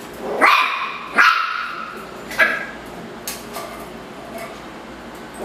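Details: Ruffus, a Miniature Schnauzer, barks angrily at a Yakult pot indoors: three sharp, loud barks in the first two and a half seconds, then fainter scuffs and clicks.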